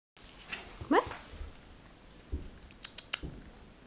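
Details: A domestic cat makes strange sounds while she eats: one short, sharply rising chirp-like call, followed by soft clicks and clatter.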